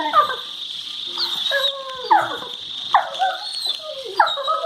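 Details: Two Labrador Retrievers making funny noises while playing and baring teeth at each other, February 2019; short sliding whimpers and yips, each dropping in pitch, repeated roughly every second over a constant background hiss.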